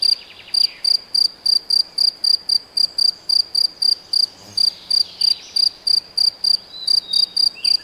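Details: Steady high chirping of a cricket or grasshopper in the Nagyerdő forest, Debrecen, Hungary, each short buzzy pulse repeated about three times a second, with faint bird chirps behind.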